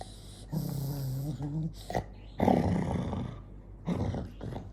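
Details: Angry dog Jonggi growls low with a brief whine-like tone, then rougher bursts of growling separated by short gaps.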